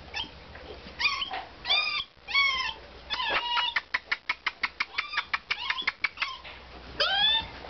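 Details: Basset Hound puppies, recorded in 2009, give high, thin whines and a quick run of sharp repeated yelps.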